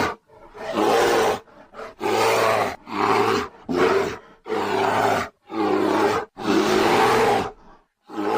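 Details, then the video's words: Bear roaring loudly in a series of harsh, rumbling bursts of about a second each. The roars come in quick succession, separated by brief pauses. "SOM DE URSO - BARULHO DE URSO RUGINDO ALTO ! SOM DO URSO!"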